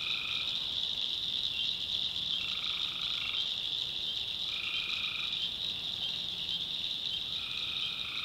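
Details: Night-time tree frog calls from North Carolina swamp backwoods: four droning, nasal bursts of about a second each, spaced a couple of seconds apart, set against a constant piercing high chorus.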